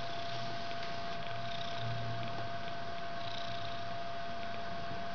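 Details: Mother cat with her fluffy white three-week-old kitten indoors in a bedroom, the kitten hugging or climbing on her head; a steady, low, rumbling purr runs throughout over a constant faint electrical hum.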